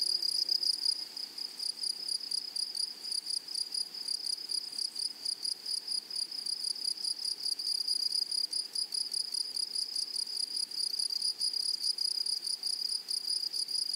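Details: Grasshoppers in a flowery meadow or prairie, a dense, steady insect chorus of high, shimmering buzzes that pulse rapidly and evenly throughout, with a fainter upper overtone and no other clear sounds.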